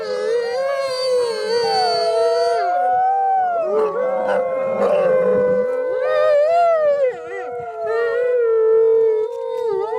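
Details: Gray wolves (Canis lupus) at a wolf park on a rainy evening give an overlapping group howl in long wavering tones in answer to visitors' howls; the higher yips mixed in are from nearby coyotes.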